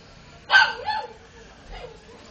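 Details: Chow chow x spitz mixed-breed puppies: one sharp, bright bark or yip with a quick falling tail, followed after about a second by a softer, shorter second yip against a quiet background.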